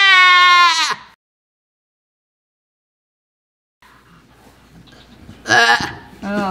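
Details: Blossom, a miniature goat giving birth, lets out a loud, wavering bleat lasting about a second. Long silence follows, then rustling, a person's voice and a short second bleat near the end.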